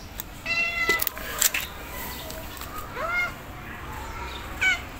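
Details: A stray calico cat (Felis catus) gives several short, rising-and-falling meows to the person feeding it; it seems hungry and is asking for food.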